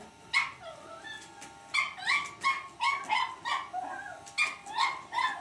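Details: A Cavalier King Charles Spaniel puppy gives a run of high, sharp yips and small barks while battling an electric shaver.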